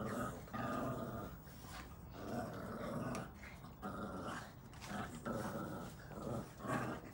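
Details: Boston Terrier puppies, red in colour, growling playfully during tug of war; quieter throaty rumbles in repeated swells about every second, with scuffling and faint background noise.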